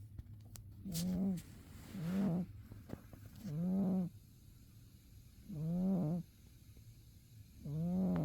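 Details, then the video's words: Umi, a domestic cat dozing through winter, lets out deep rasping snores roughly every two seconds, five breaths with quiet gaps between, a few faint clicks in the background. "Umi the cat winter zonks and snores"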